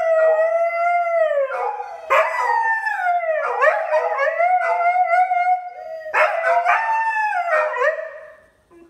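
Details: Two pet dogs howling together in the morning; overlapping wavering howls that rise and fall, with breaks and fresh starts every few seconds, voices weaving over each other continuously.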